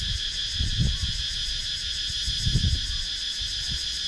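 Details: Wooded countryside in Sakon Nakhon, Thailand, with cicadas, recorded on a GoPro Hero 9: a ringing high insect drone with a slight pulsing texture over repeated low bumps and rumbling.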